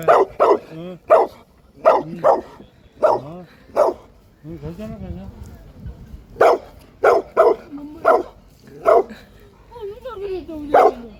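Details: Maltese dog on an autumn walk along a yellow ginkgo-lined road in Asan, Korea, its first walk there: rapid bursts of high, yappy barks in two runs, with a person talking and faint background noise.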